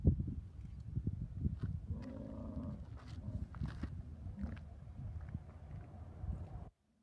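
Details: American bison in Yellowstone during the rut, the mating season, staying with females; a low rumbling bellow swells into a brief harmonic roar near the middle, over constant deep rumbling background noise.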